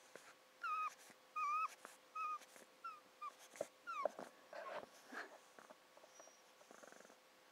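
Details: Pug dog happy while getting a massage indoors, giving a run of high, whistly whining squeaks that bend up and down in pitch, roughly one every half second to a second, with wheezy snorting breaths between and toward the end.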